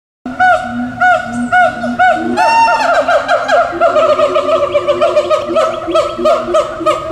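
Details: At least two siamangs at the Tulsa Zoo, calling on 4/2/17, give loud, rich, arched hoots that speed into a rapid, overlapping series; their calls carry across the zoo.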